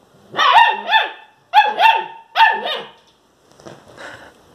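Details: A German Shepherd puppy barks for the first time: short, high yelping barks, often doubled, that trail off into softer whines.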